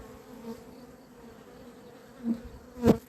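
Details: Honey bees on 28 April 2026, said to have gone crazy, awaited to enter: a faint, even hum with a low tone and an overtone, interrupted by two loud knocks near the end.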